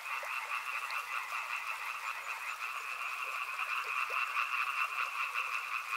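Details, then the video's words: Frog chorus beside a river: a dense, continuous wall of rapid pulsing croaks in two steady bands, middle and upper pitch, with scattered short lower notes and a faint background hiss. "Frog Sounds | Soothing sounds of river and frogs"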